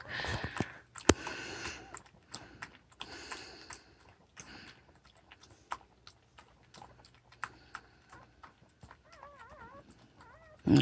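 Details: Newborn puppies indoors: after a stretch of clicking and tapping noises, a short run of thin, wavering high squeals rises and falls near the end, followed by a loud rustle.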